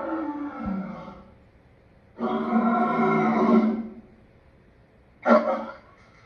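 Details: A lion's coarse snarling: a trailing growl, a quiet gap, a steady two-second roar, then a short sharp snarl after another pause.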